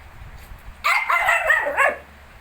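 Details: Shih Tzu household with puppies just 19 days old: a single second-long, wavering whine-like cry that bends up and down in pitch before dropping away, over a soft background hum.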